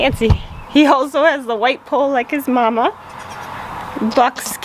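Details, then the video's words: Newborn goat kids, just born to the family's doe, bleating in a run of quavering, wavering cries over about two seconds, then a short pair of bleats near the end, with people talking softly nearby. "Baby goat reveal"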